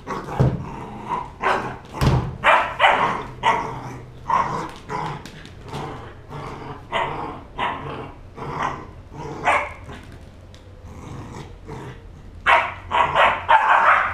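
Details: Three-month-old Border Collie puppy playing wildly, giving short sharp barks and yips repeated in uneven bursts, roughly one every second or two, with some growly notes and a louder cluster near the end.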